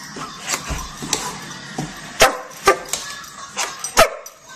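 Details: A Dobermann gives strong, powerful barks: sharp, separate bursts, about five in four seconds with uneven gaps, the loudest near the end, over low room noise and faint background sound.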